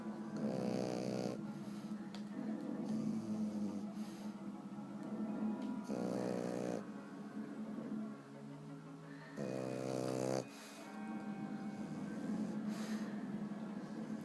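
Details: A French Bulldog sleeping on his back snores in loud, buzzy rattling bursts every few seconds over a steady low hum.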